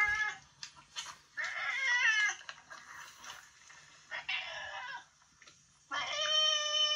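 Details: Old boss cat, retired from ruling a residential neighbourhood and kept in end-of-life care at home; harsh, raspy screeching bursts repeated with brief gaps, ending in a longer strained wail.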